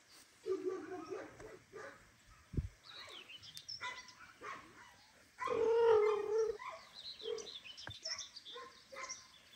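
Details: Household cats, a father cat seeking forgiveness from mother cat Kira after being away long; a short murmur early, then a loud, steady, drawn-out meow lasting about a second, with clicks and rustling indoors.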